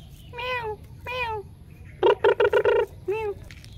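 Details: Domestic cat meowing: two drawn-out, slightly falling meows, then a quick burst of four short, loud meows and one final meow, all with clear tonal quality over a low background hum.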